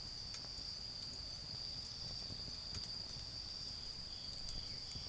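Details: Night-time autumn insects in a garden produce a constant thin ringing tone at one high pitch, broken only by scattered soft clicks from a nearby bonfire and a low background murmur.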